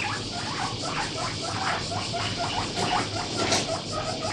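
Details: Pet guinea pig weighing about 1 kg, kept in a household, loudly begging while eating grass; repeated short rising squeaks, somewhat buried in rustling and background hiss.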